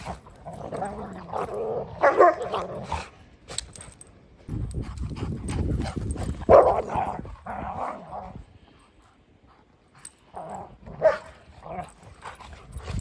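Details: An Old English Sheepdog puppy on a farm gives rough, growly yips and barks in irregular bursts.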